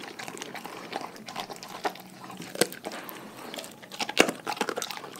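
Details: Chewing from a pack of dogs on a raw food diet: loose, irregular crunches with two sharp, bright snaps, one near the middle and one shortly after the fourth second.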